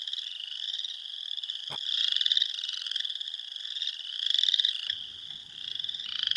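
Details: Western chorus frogs at a vernal pool form a dense breeding chorus of overlapping high, rasping trills rising like a fingernail run along a comb.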